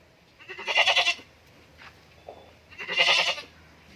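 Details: Goat at a goat farm in Indore, giving two harsh, quavering bleats about two seconds apart, each roughly half a second long, with a quiet background.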